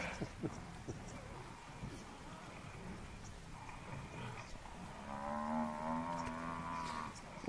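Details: African buffalo bull attacked and brought down by four male lions; after scattered thumps and rustling, a low, wavering, harmonic bellow sounds through the final two and a half seconds.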